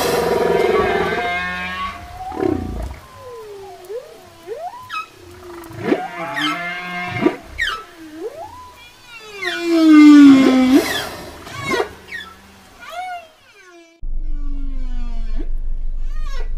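Whale song of long, sliding moans and rising and falling whistled sweeps, rich in overtones.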